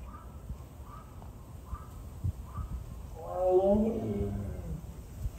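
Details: Siberian tiger at Seoul Grand Park zoo, separated from its younger sibling and crying often, filmed 20 February 2022; one moaning cry with stacked harmonics, rising then falling, about one and a half seconds long, after faint earlier calls, over low background rumble.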